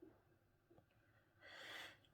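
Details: A sleeping Basset Hound that doesn't usually snore, resting while recovering from an injury, snores softly at night, ending with one long, hissing, breathy exhale.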